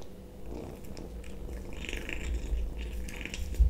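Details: Kitten eating sausage indoors, giving short mid-pitched murmuring mews between bites over a low purring rumble, with soft wet chewing sounds.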